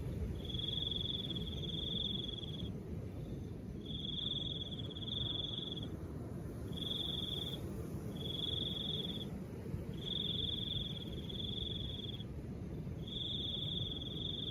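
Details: Crickets with soft wind, a high shrill trill broken into short bursts of about one to two seconds repeating steadily, each separated by brief silences, over continuous low wind.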